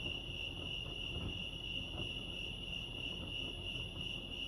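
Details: Lake Arrowhead crickets in California keep up one continuous high-pitched trill, even and unbroken, with a faint low murmur of ambient noise underneath.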